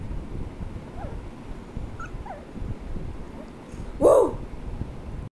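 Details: Shih Tzu. Several faint, downward-sliding whimpers from a Shih Tzu come first, spaced about a second apart. Near the end comes a single abrupt, mid-pitched bark over a steady low background rumble.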